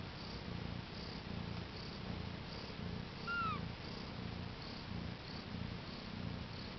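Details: Mother cat with her four newborn kittens, born April 22, 2010: rhythmic low purring throughout, with a single thin, downward-sliding kitten mew in the middle.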